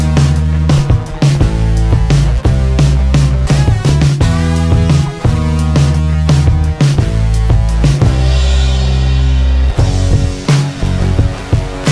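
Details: Loud rock music with steady drums, bass and guitar throughout, no animal voice heard.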